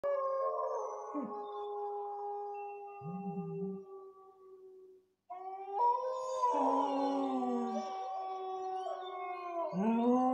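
A Cocker Spaniel howls in long, wavering tones that hold steady, then bend and rise.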